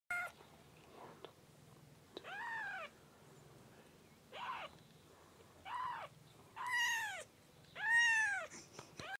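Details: Siamese kitten, two weeks old: a series of thin, high mewing cries, each arched in pitch, rising then falling, about one every second, growing louder and longer toward the end, with short pauses and faint background hum.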